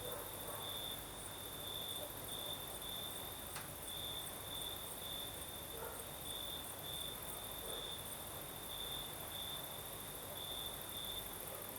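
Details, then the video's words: Crickets singing at night in the south of Crimea with a night breeze: a steady high chirping band pulses in short bursts throughout, over a soft broadband hiss of wind, with a brief click near the middle. "Сверчки поют"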